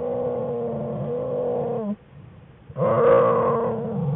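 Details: Jewel the black bear's cubs whining in the den on January 5, 2013; continuous harmonic, wavering whines that break off into a short pause, then resume louder and steadier.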